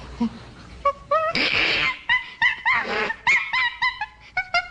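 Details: Common chimpanzee calling: a rapid series of short hooting calls with bright harmonics, rising and falling in pitch, several per second, with a noisy breathy burst early on and a final run of quick staccato hoots.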